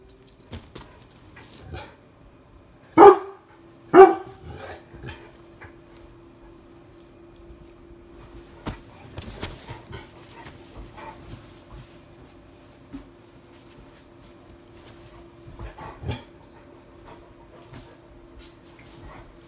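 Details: Mastiffs at play, attacking spirit fingers, give two sharp loud barks close together early on, followed by scattered softer yips and rustling over a steady low hum.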